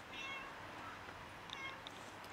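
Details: Starving, very skinny cat meowing for food, giving two short, fairly high, tonal meows with faint harmonics, one near the start and one after a pause, over low steady background noise.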